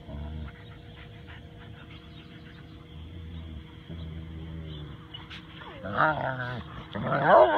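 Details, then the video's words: Max, a Husky/wolf mix, vocalizes while playing with his silent Rottweiler friend Tor. Low murmurs give way to a burst of wavering, harmonic whining yowls in the last two seconds. A steady background hum runs throughout, and a person speaks around the moment. "Close-Talker Husky with Stoic Rottie"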